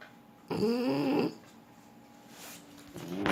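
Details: French Bulldog asleep, one long rattling snore with a wavering tone, then quiet breathing and the start of another snore.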